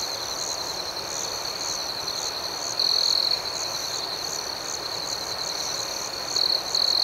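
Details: Crickets chirping at night in a gentle nighttime setting; a steady high, shrill trill runs throughout, swelling into louder bursts near three and six and a half seconds, with a faster pulsing chirp layered above it.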